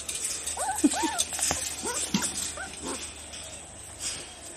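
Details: Orphan puppies from two litters, seventeen in all, at the Santisook Dog and Cat Rescue Foundation in Thailand, eating their dinner. Short arched whimpers and yelps come in quick, uneven bursts over a steady background hiss.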